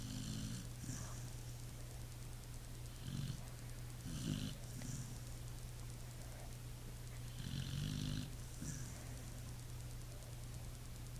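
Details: Pit Bull snoring in sleep, a series of short gravelly snorts and wheezy breaths, some doubled, across the clip; faint continuous hum underneath.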